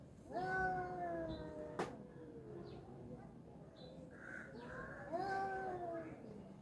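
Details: Two fighting tomcats give long, steady, droning wails with strong harmonics. A sharp click breaks in early, then a second drawn-out yowl rises and sags near the end.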